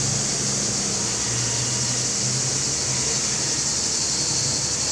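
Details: Singing male cicadas, Larissa, Greece, in July 2020, filmed on a Panasonic HC-X900 camera; dense, continuous shrill buzz filling the air, with a soft low hum in the background.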